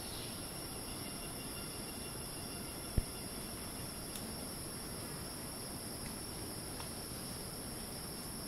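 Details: Screeching cicadas in rainforest at Ton Pariwat wildlife sanctuary, north of Phang-Nga, Thailand: a steady, unbroken high-pitched whine on two bright bands, over a low rumbling background, with a single sharp click midway.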